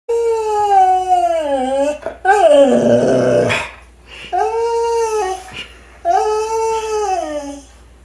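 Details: Siberian Husky howling: long tonal howls that sag and then rise, sliding slowly in pitch. A rougher, harsher burst comes near the middle. Three cleaner drawn-out howls follow with short breaks between them.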